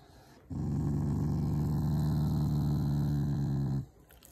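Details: One steady, low, rumbling growl of about three seconds from a Shiba Inu showing affection toward its family, not anger, heard indoors.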